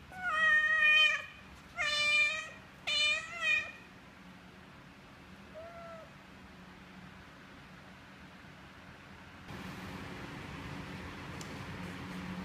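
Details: Domestic cat mother nursing her kittens indoors: three loud, drawn-out meows with rich harmonics in the first four seconds, then one faint short mew, followed by quiet room noise and a rise in background hiss.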